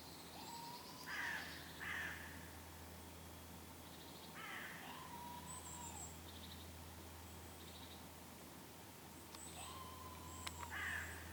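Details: A red squirrel at Lake Kallavesi, Kuopio, Finland, on 23 August 2015 gives harsh, raspy chattering calls in scattered bursts just after an unsuccessful goshawk attack.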